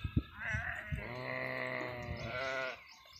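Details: Sheep in a mixed flock with goats, grazing under Rabari Maldhari herders near Indore, Madhya Pradesh: one long, wavering, harmonic bleat held for about two seconds, preceded by a few short thumps and followed by quiet.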